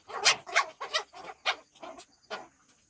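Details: Shih Tzu dogs in the daytime, kept as pets and shown playing and eating, let out a run of about eight short, sharp, high yaps within three seconds, coming fast at first and then spacing out and fading.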